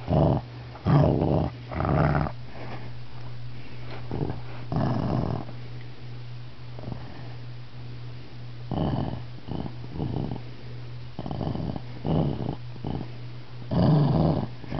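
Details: Shih Tzu dog growling when touched during a nap, likened to a lion; repeated low, rough growl bursts of about a second each, spaced irregularly, over a steady low electrical hum indoors.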